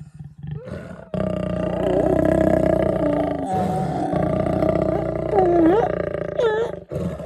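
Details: Lions mating in the Kgalagadi Transfrontier Park: a long, loud, rasping growl and roar lasting several seconds, with wavering whining tones over it and short breaks.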